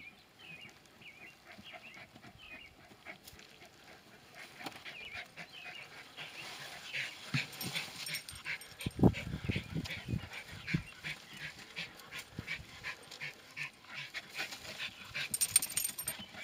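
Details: Terriers Senn and Bodie at work on a groundhog (whistle pig): a run of short, thin, bending whines repeats at the start, then gives way to scuffling bursts, rustling and a human voice.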